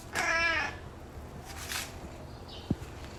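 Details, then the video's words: White cat named Nai Cha gives a single clear meow lasting about half a second, harmonic and slightly falling; quiet room afterward with a faint rustle and a sharp click near the end. "Why do you meow meow~,nai cha?"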